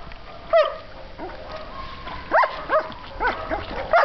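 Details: German Shepherd puppy swimming, giving short, high, arched whines and yips, roughly one every half second in bursts, against a quiet background.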